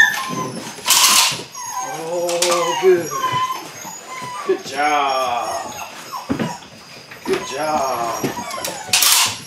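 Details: Belgian Malinois puppies, eight weeks old, during beginning bite work, letting out wavering, harmonic whines that rise and fall, broken by sharp hissing bursts and people talking nearby.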